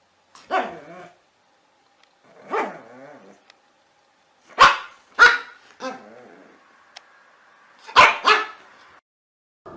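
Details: Small dogs barking: sharp, harmonic barks in spaced bursts, some single and some in quick pairs, roughly every one to two seconds, with short quiet gaps and a faint steady tone in the background.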